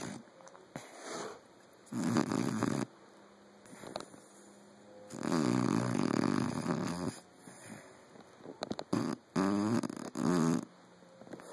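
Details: Five-month-old Saint Bernard puppy Teddy sound asleep, snoring in long rough rumbling breaths of one to two seconds, some with a fluttering rattle, separated by short quiet pauses.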